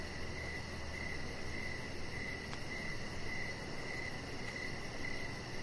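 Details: Crickets chirping outside in the evening: bright chirps repeat at a steady pace about twice a second, with one brief click midway over a low humming backdrop.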